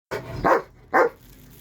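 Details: Rottweiler giving two short, loud barks about half a second apart, each a single harsh burst, with a quiet background and no other sounds.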